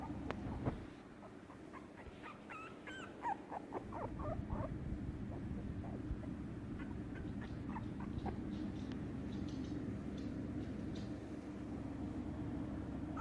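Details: Shiba Inu puppies whine and whimper with quick high squeaks and wavering cries bunched early on, then scattered sharper yips later, over a steady low household hum.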